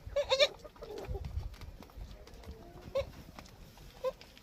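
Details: Goat kid suckling milk in a garden on a farm, making a quick pair of short, bright bleats at the start, then two single clipped bleats spaced well apart, with faint rustling and low background noise.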